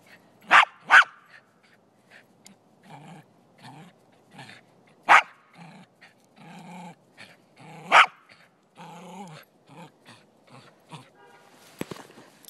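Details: Playing soccer on a Sunday in Truckee, California, a little male Silky Terrier defends the ball. He gives loud, sharp barks: a quick double bark at the start, then single barks a few seconds apart, between quieter scuffles and movement.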